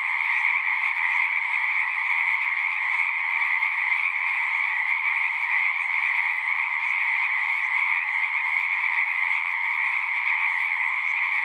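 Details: Massed singing frogs keep up a constant, bright, high buzzing trill, layered and unchanging in level across the whole stretch, with a quiet background and nothing else audible.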